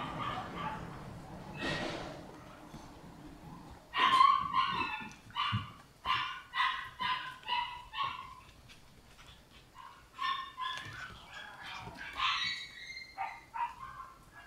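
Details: Red Shiba Inu female puppy born on 23 August, giving a series of short, high yips and whines, first a few scattered and then in quick bursts, some rising and falling in pitch.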